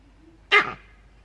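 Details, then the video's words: Captive male green monkey at Novosibirsk Zoo, 13 June 2023: a single sharp, harsh bark-like cry lasting about a quarter second, loud and abrupt, then quiet. "Зелёные мартышки. Крик самца"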